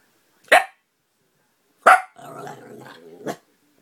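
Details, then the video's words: An Italian Greyhound growling at a neighbour's dog gives two sharp barks, then a rumbling, wavering growl that ends in another bark. "Italian greyhound growling"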